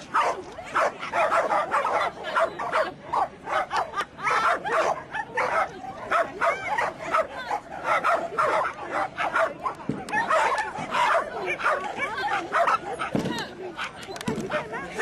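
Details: Dogs Bacon and Sumi-e during an agility run; rapid, nearly continuous sharp barks and yips fill the recording, with a person's voice speaking over them.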